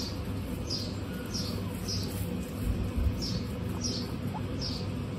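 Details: High short squeaks from 26 female guinea pigs on a hot day repeat roughly every half second, with a faint gliding lower whistle and a few soft low thumps near the middle.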